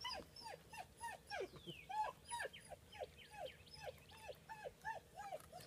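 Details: AKC German Shepherd puppies, 10-week-old males born 28 January 2015, playing with IQ games: a steady series of short, high whines that bend downward, about two per second, with faint scuffling behind.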